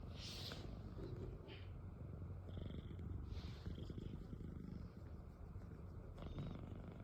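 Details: A domestic cat snoring: a steady low rumbling drone with soft breathy swells roughly every second or two, plus faint hissy noise in the background.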